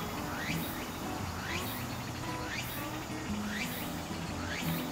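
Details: Walker's cicada, heard in late summer to early autumn, repeating rising, swooping phrases about once a second against a low, constant background hum.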